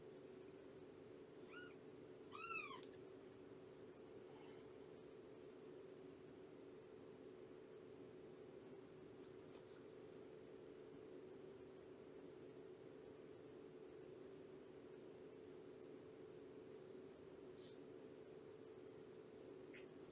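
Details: During a morning visit with Shelby, an abandoned cat of about two years with kittens around three months old, fostered through Purrfect Pals: one clear rising-falling meow with strong overtones, a fainter mew just before it, then long quiet over a steady hum.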